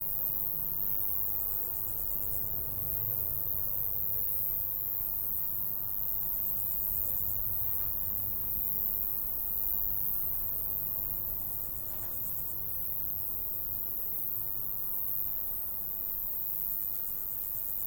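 A grasshopper gives short, dry, buzzy bursts of high rasping chirps every few seconds over low wind rumble.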